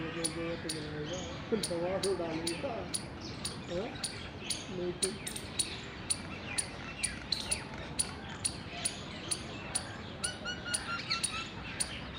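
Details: Wild Indian squirrel chirping while mating, recorded 19 February 2021: rapid, steady train of crisp chip notes, several per second. Men talk in Hindi underneath, clearest in the first half, and a few soft bird notes are mixed in.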